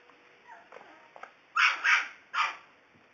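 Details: Playful puppies romping around, giving three sharp, high yelping barks in quick succession near the end, each short and bright, after a stretch of faint scuffling; a man speaks just afterwards.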